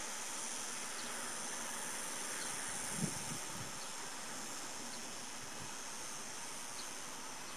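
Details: Morning cicada chorus at Cortijo de Marín, Almería, recorded 26 August 2012 near a petrol station; a continuous dense buzzing hiss fills the high range, with one brief low thump near the middle.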